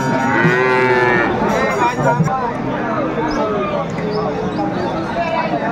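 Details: Sahiwal bull calves at a cattle market in Noakhali, Bangladesh, on 23 February 2025; a drawn-out lowing moo with a rising, wavering tone in the first second, amid a dense crowd hubbub and market noise.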